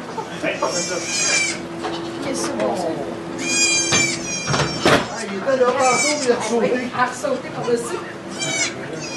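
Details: During the birth of two goat kids in a sugar shack in Quebec, Canada, recorded by iPod Touch, tremulous high bleats sound three or four times, interleaved with continuous French talking and a low steady hum.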